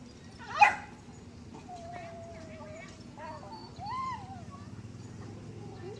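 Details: Dog whining softly: a sharp click-like noise first, then thin, level and arching whimpers, with faint speech in the background.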